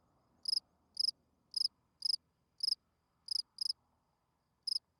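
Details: Spring field cricket calling at night to attract females: eight or nine sharp, high-pitched trilled chirps of a few pulses each, irregularly spaced about half a second apart, with a soft low hum early on.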